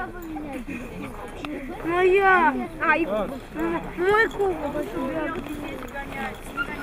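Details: Siberian Husky at competitions in Nizhny Novgorod on 3 February 2017, giving a run of wavering, arched yowls that rise and fall in pitch, several drawn-out notes in a row, while people talk over and around it.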